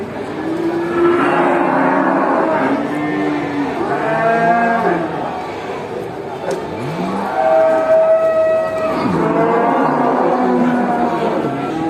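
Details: Cattle in a large herd lowing to each other as a farmer drives them back to the barn in a village; overlapping drawn-out moos, some rising and falling, follow one another almost continuously.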